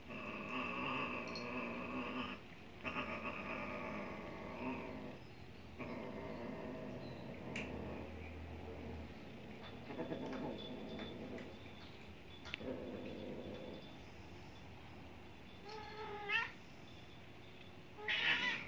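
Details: A one-year-old neutered male Maine Coon cat trying to mate a 16-year-old Persian gives long, drawn-out moaning yowls and low growls.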